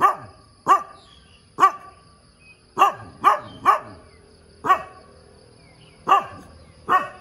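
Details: Sharp morning barks from a dog, singly and in close pairs or triples, irregularly spaced about a second apart, each ending in a brief ringing tail; a quiet high hum lingers behind.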